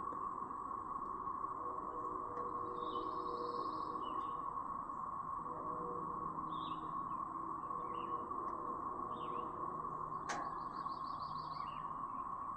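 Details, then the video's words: A brood of cicadas near Chapin, South Carolina, on May 7, 2024, producing a steady siren-like drone that holds one pitch throughout, with short bird chirps and a fast trilled bird phrase layered on top. "The "Siren" Sound Effect From A Brood of Cicadas!"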